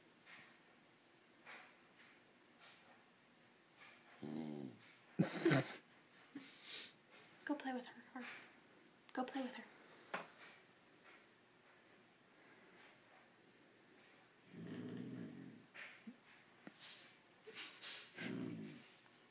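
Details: Two dogs, Psyche and Harvey, making strange noises at each other while playing: scattered falling, whiny harmonic moans and short low grumbling bursts, with a person talking between them and urging one to go play.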